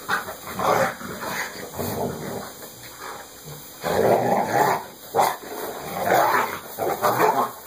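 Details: Sasha Bear, a Saint Bernard, wrestles playfully with Texas, an American Pit Bull Terrier. Gruff, throaty growling surges in repeated loud bursts, with a longer rumbling spell near the middle and brief pauses of soft panting.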